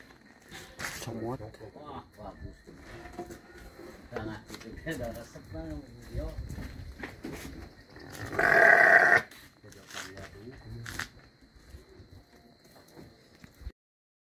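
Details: Si Comot, a Garut sheep, lets out one loud, rough, quavering bleat lasting under a second, preceded by several seconds of people talking nearby and followed by quieter chatter and rustling.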